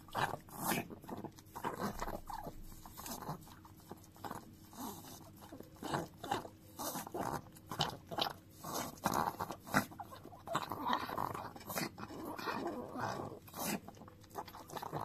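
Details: Chihuahua named Dio keeps licking a frying pan; rapid repeated wet laps and smacks in bursts throughout, brief pauses, pan rattling lightly in a quiet indoor room.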